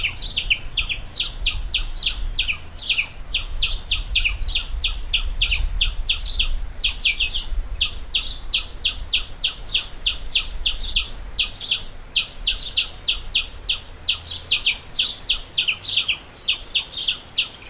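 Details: A squirrel calls steadily, a long run of short, sharp, high chips at roughly three per second, fairly irregular in spacing, over a faint low hum.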